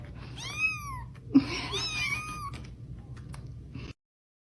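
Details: Hungry bottle-fed kitten named Pudding, crying to eat two hours after a bottle: a quick series of thin, arching meows overlapping each other, with a low background hum, then silence.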